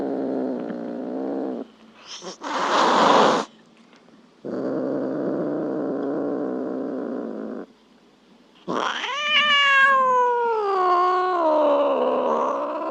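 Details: Domestic cat making a mix of sounds: a low droning stretch, a short harsh noisy burst, another steady low drone, then a loud long meow that rises sharply and wavers downward over several seconds.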